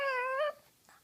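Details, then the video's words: A single half-second nasal whine from a female pug, held steady and then lifting slightly at the end. Her owner is playing with her face indoors. "the Pug (Ty) makes funny noises"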